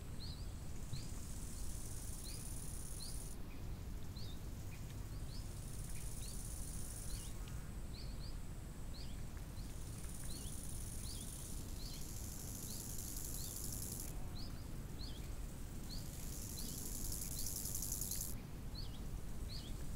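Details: Summer crickets at a lakeside keep up a high, shimmering buzz through most of the stretch, with brief pauses. Birds add quick upward-flicking chirps in a loose repeated pattern, all over a constant low hum of wind.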